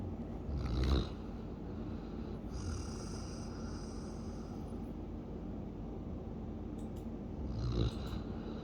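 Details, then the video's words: Siberian Husky snoring: a low, rough, continuous rumble of breathing, with louder snorting breaths about a second in and again near the end. "Siberian Husky Snoring"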